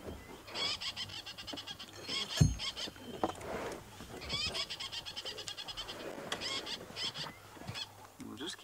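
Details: A squirrel in a balanites tree at Twin Dams, Djuma Game Reserve, South Africa, gives bursts of rapid, dry chattering alarm calls at sunrise on April 18, 2017, while looking towards the vehicle. Another squirrel is nearby and a man talks.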